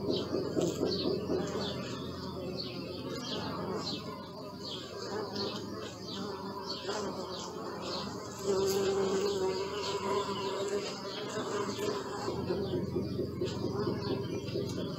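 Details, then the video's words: Bees hum in a low, fluctuating drone that swells as an insect passes close around the middle, with a higher whining tone briefly, over a constant chorus of twittering birds. "Bee sound"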